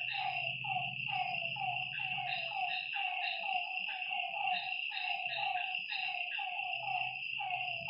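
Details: Frogs at a lakeside after dark produce a steady train of short, dropping croaks, about one a second. Bright continuous ringing above, faint low murmuring beneath.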